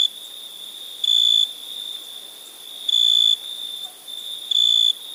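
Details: Night-time cricket gives three longer high buzzy chirps, each under half a second, spaced nearly two seconds apart, above a continuous shrill background trill.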